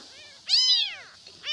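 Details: An abandoned newborn kitten cries for its mother with a single strong, drawn-out meow that rises and then falls. A second cry begins at the end. The background is quiet.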